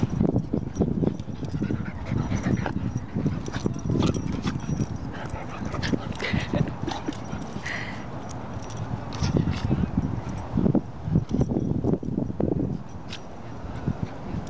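A Shiba Inu vocalizes in brief bursts, with high whining yelps breaking through low, irregular thuds. Scuffling and occasional human speech run underneath the dog's sounds.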